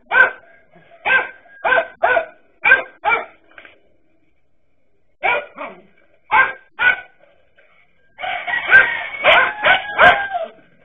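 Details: Dachshunds confronting a king cobra bark in short sharp bursts, several rapid barks, a pause, then more, ending in a dense overlapping volley from more than one dog.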